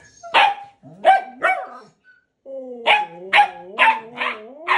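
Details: Husky Max and puppy Balto, who keeps pestering him to play with a toy chicken; three quick barks, a pause, then a rapid run of about six yappy barks over a continuous, wavering whine.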